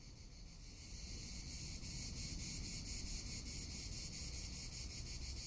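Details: Cicadas in summer in Tuscany: a high, buzzy drone swelling after the first second, pulsing about three to four times a second without pause, over steady low wind rumble.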